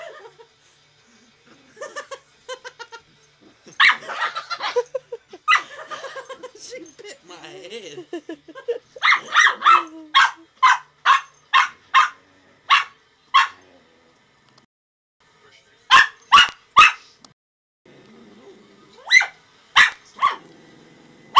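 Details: Miah, a Brussels Griffon dog, barking while playing and biting hair: short sharp barks in irregular bursts, some quick runs of three or four, with softer whiny vocal sounds early on and quiet gaps between.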